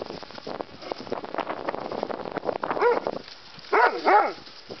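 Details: Terrier mix and bulldog at play, learning the rules of engagement; a stretch of rough grumbling and scuffling gives way to a couple of sharp, high, whining yips near the end.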